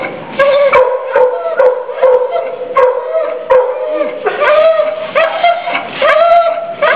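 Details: Distressed female pit mix crying in her cage at a county dog pound in Youngstown, Ohio, January 2014; long, quavering nasal whimpers that swell and bend upward, with sharp clacks at irregular intervals.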